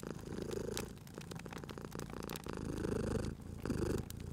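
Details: Cute cat asleep by a fireplace, purring steadily: a deep, low vibrating rumble that grows louder on each breath, over sharp crackles and pops of burning wood.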